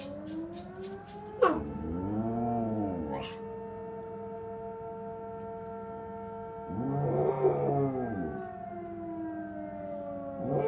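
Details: Astrid, an AKC certified Samoyed, howls back at the local fire department's alarm: two long, rising-then-falling wavering howls, one lasting nearly two seconds, the second shorter, over a steady, droning siren tone.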